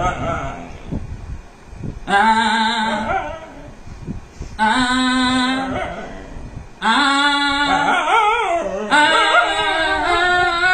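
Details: Dog 'singing' indoors in a small room: long drawn-out howled tones with rich harmonics, some steady and wavering, the last ones sliding up and down in pitch, after about two seconds of quieter voice-like murmuring.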